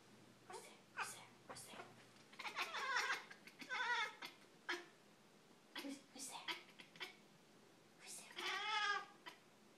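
A Siamese cat gives short, harsh bark-like calls at a crow, with a woman talking in between.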